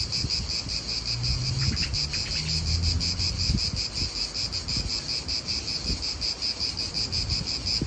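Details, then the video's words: A pulsing, shrill cicada chorus fills an Italian park, with a few brief bird notes, low hums and knocks of nearby activity and wind below. "italian park ASMR Cicadas wind real atmosphere in an Italian park birds"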